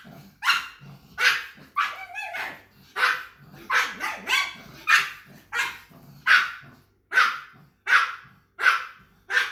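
A pug gives a steady run of short, sharp barks, roughly one every second.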